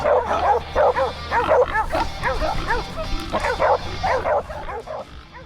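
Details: Scent hounds giving tongue while running along a scent trail; a dense chorus of rapid, arching barks and yelps from several dogs tumbles over one another continuously, fading slightly toward the end.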